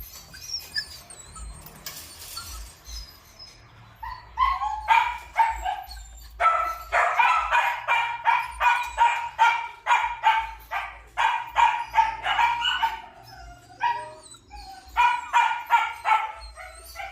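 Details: Purebred Malinois at a kennel: faint whines and clatter, then from about four seconds a steady series of loud, harmonic barks roughly every half second, in bursts separated by short pauses.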